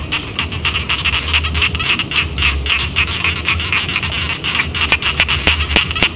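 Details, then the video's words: Paddy frogs near a village form a thick overlapping chorus of rapid rasping clicks. A few louder, sharper pulses stand out near the end, and a faint low rumble runs throughout. "suara kodok sawah"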